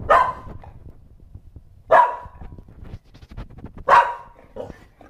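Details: Female Shetland Sheepdog barking at something unseen: three loud sharp barks spaced about two seconds apart, each a short bright burst, with a person talking quietly in between and asking what it is.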